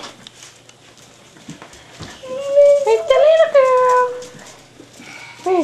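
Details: Whimpering from five-and-a-half-week-old Staffordshire Bull Terrier pups born to Jenny: after soft shuffling, a wavering, nasal whine swells and bends in pitch for about two seconds, and a short rising squeak follows at the end.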